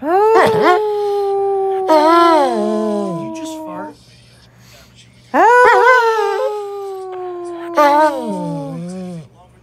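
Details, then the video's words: Dog producing two bursts of wavering, yodel-like howls, each with sharp rising onsets, wobbling pitch and falling endings, separated by a short quiet gap; the sounds have a voice-like quality. "Funny howling Dog"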